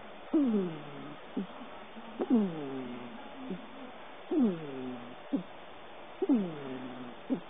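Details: Sleeping domestic cat on a lap, dreaming, snoring: each breath carries a whiny, falling voiced tone with a short click after it, repeating steadily about every two seconds in a quiet room.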